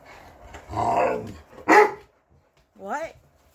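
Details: Pet English Mastiffs, one of six large dogs named Roxy, Riley, Cammie, Sammie, Axl and Rose, talking back: a drawn-out groaning moan, a short sharp bark-like burst, then a brief rising-and-falling whine, with a person talking to them nearby.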